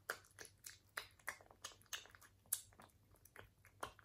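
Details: Crunchy chewing from a British Shorthair cat at its food indoors: sharp bursts of biting and crunching every few tenths of a second, irregular rhythm, over a faint steady low hum.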